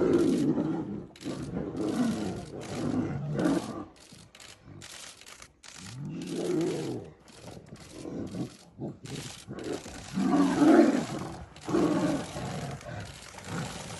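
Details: Tiger; roar and growls; fighting over territory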